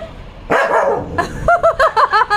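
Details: Pet dog barking at a cat toy while people talk in Tamil: one rough, broad bark, a pause, then a quick run of five short, higher, tonal yips.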